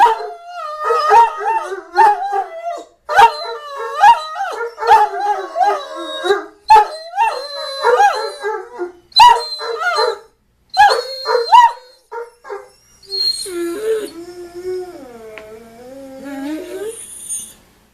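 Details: A domestic dog mixes short yelping barks and wavering, warbling howls in quick bursts, then ends with a longer, wobbling howl that dips and rises.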